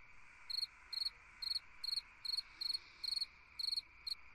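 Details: Cricket singing on a summer night: high, pulsed chirps, each a quick trill, about nine in four seconds at an even pace, over a steady background hum of other insects.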